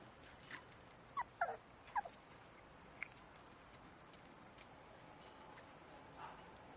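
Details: Shiba Inu puppy, a black and tan male named Ryota, giving a few short high whimpers and yips around the middle, rising and falling in pitch, then quiet with faint room noise.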